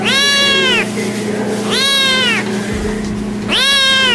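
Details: Kittens meowing: three loud, clear harmonic meows, each under a second, arched in pitch then falling, spaced about 1.5 seconds apart, over a steady low hum.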